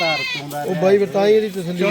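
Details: Close, loud quavering bleats from a Beetal goat at Rakhala's Wednesday goat market in Punjab, the voice trembling and sliding over nearly two seconds, mixed with nearby talking.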